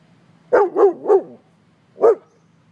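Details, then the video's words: A pet dog barks at a man it sees, protective: a quick run of three sharp barks, a pause, then one more bark; faint low hum behind. "My cute dog sees a man"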